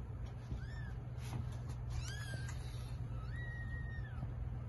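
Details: Cat in the middle of giving birth to a litter of eight kittens. Three clear, high mews, each rising then falling, the last one long and drawn out, set against a constant low hum.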